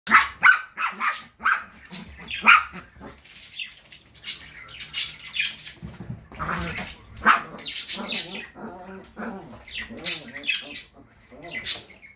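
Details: Chihuahua, a kennel graduate now living with a family in Saratov, giving sharp high-pitched yaps: a few spaced barks in the first seconds, then a denser run of short yapping bursts through the second half.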